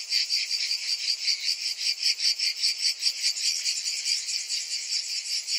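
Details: A steady hot-weather cicada chorus: high rasping buzz in rhythmic swells about 2.5 per second, brightening slightly toward the end, with nothing else audible.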